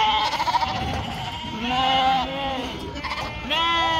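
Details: Sheep flock on a farm in northern Spain, yearling ewes kept back from their mothers: several overlapping wavering bleats, some rising and falling, calling back and forth over about four seconds.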